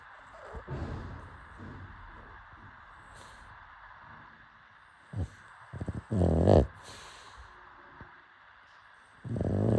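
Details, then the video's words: A sleeping pug snores in irregular bursts of low, rasping snorts, with louder clusters in the second half and a final drawn-out rumble. Quiet background hiss between breaths. "Pug snoring"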